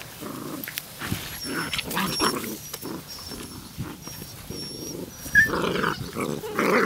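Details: Puppies outside in a play fight, dated 1/4/2013, trade low rasping growls in short choppy bursts, with a brief high squeak near the end.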